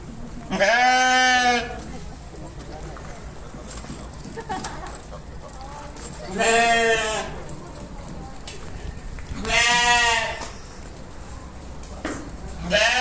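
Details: Sheep bleating: three loud, wavering harmonic bleats about a second long each, spaced roughly four seconds apart, with a fainter call between and another starting at the end over low background noise.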